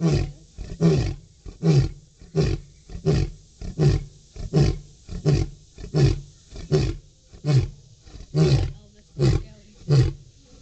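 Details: A captive lion (Panthera leo) roars to a female, giving a steady series of deep, grunting roars, about one every three-quarters of a second.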